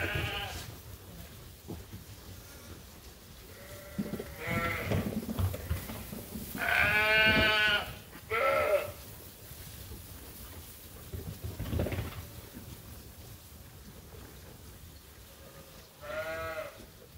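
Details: Groups of sheep and lambs at Ewetopia Farms call while waiting to be fed. A run of loud, quavering bleats overlaps in the middle, followed by scattered shorter calls, with thumps and farm noise underneath.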